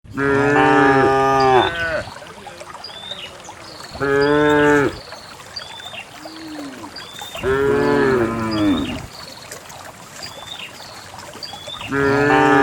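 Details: Cows in a herd of dozens descending a green hill toward a valley pasture, lowing in long harmonic moos of about two seconds each, roughly every four seconds, with a quiet background between calls.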